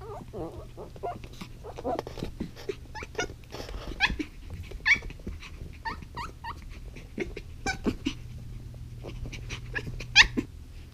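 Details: Zuko, a young pet dog frustrated by a new ball that is too big for his mouth to chew, indoors. Repeated high, wavering whines and short yips come in bursts through the clip, some sharply rising, over a low steady hum.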